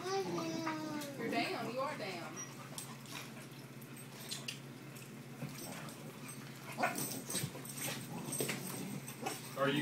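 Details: An Alaskan Malamute playing with a boxer in a living room gives drawn-out, wavering whines that bend up and down, broken by brief yips and grumbles, while people talk in the background most of the time.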